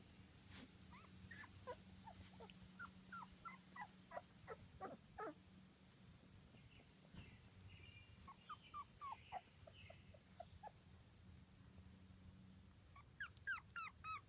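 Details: Young British Labrador Retriever pups, two weeks old, from a litter of one black male, three black females and two yellow females: soft, thin squeaks repeated in loose runs, a faint cluster near the end, over low background hum.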